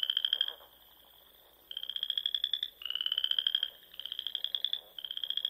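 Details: Frogs calling from Sandhills ponds in Nebraska on a spring evening, giving high pulsed trills about a second long in clustered bursts, with one quiet gap of about a second.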